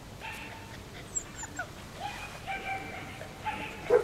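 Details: German Shepherd puppies from a litter born 27 July 2014, two males and four females, out of Iska v.Muikenshof and Eros v.d.Romerau; thin whining yips rise and fall, several short cries overlapping over a few seconds against quiet background hiss.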